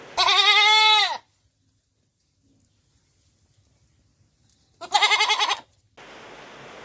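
A goat gives two loud, wavering bleats, the second coming after a few seconds of silence.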